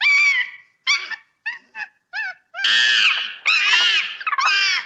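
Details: Playful monkey in the bush of its natural habitat: several short, clear, wavering squeals give way to three long, loud, rough screams that each bend up and down, with brief pauses between calls.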